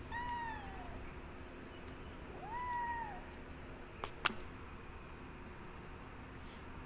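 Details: Hungry cats asking for food: two drawn-out, arching meows with rich harmonics, about two seconds apart, over steady background hum, followed by a sharp click or tap.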